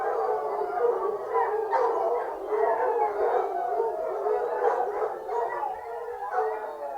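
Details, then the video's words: Fox hunting hounds baying as a pack, layered mournful howls with sharper yelps breaking through every second or so over a steady chorus. "Fox hunting hounds singing"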